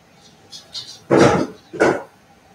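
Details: Cavalier King Charles Spaniel puppies playing indoors in a home puppy pen: two short, loud, harsh yelping barks about two-thirds of a second apart, with a few faint soft squeaks before them in a quiet room.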